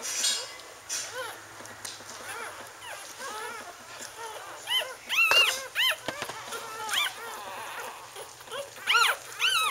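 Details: Wheaten Terrier puppies from a litter born October 18, 2011, with their mother Bailey, squeaking in thin, high whimpers and short yelps that come in irregular bursts throughout, over a soft background hum.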